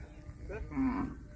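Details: Cow giving a short, low moo that swells briefly and then fades, with faint background noise.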